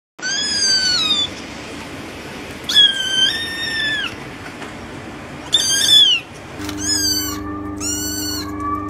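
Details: Kitten meowing in a series of high, drawn-out cries, the first few long and wavering, later ones shorter and falling at the end, with a steady low hum entering near the close.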